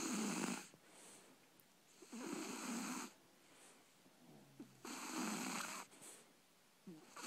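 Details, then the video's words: Sleeping Shar Pei puppy Libby, three months old, snores in steady cycles, each rough, wheezy breath lasting about a second and returning roughly every two to three seconds, with quiet gaps between. "Shar Pei Puppy Snoring"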